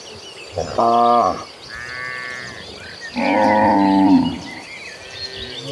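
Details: Among dozens of cattle walking toward a green pasture, cows give deep, drawn-out moos rich in harmonics, with a fainter, higher lowing between them.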